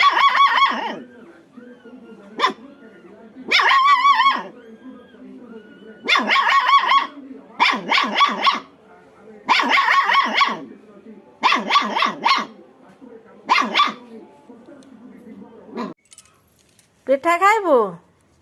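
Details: Angry little puppy in a village giving repeated sharp yapping barks in bursts about every second, bright harmonic tone, ending with a falling whine-like yelp.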